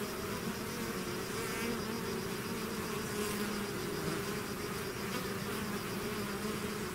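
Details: Honeybee-style swarm pouring out of its hive, a steady dense drone of many bees with wavering hum bands around low and mid pitch, continuous without pause, a few individual wingbeats flaring briefly above the mass.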